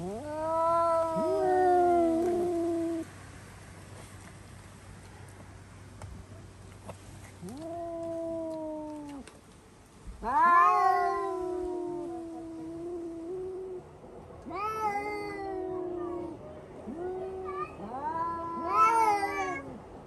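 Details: Several pet cats, Yukimi among them, screaming after spotting a cat outside: long, wavering, drawn-out yowls that rise then sag, some overlapping, repeated with short pauses in a quiet room.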